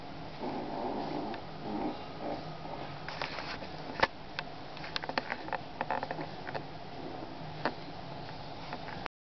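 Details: Male Basset Hound sniffing in a series of short, breathy bursts for about three seconds, followed by a quieter stretch with scattered sharp clicks and taps.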